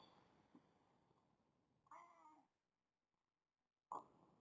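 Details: Domestic cat acting as an alarm clock, giving one short, quiet, tonal meow of about half a second, then after a silence a brief, sharper, louder cry; faint indoor hiss behind.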